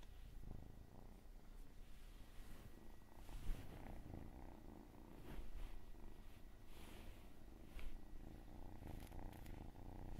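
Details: Cat's rumbling purr running for ten seconds, rising and falling with each breath, with scattered light rustling and clicks over the low drone.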